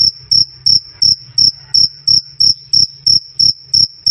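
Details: Loud, clean cricket chirping meant for tutoring songbirds such as lovebirds and magpie robins: short shrill pulses repeated roughly three times a second in an even, pulsing rhythm, nothing else heard.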